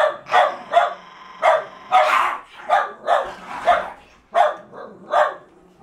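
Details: Jack Russell Terriers struggling over a fallow deer's leg; loud, rough, growly barks repeated about every half second, some running together into a harsher snarling burst near two seconds.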